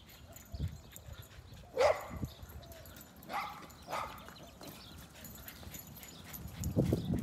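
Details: Pet dogs chasing a baby donkey give a few scattered, sharp barks spaced a second or two apart over a low background rumble.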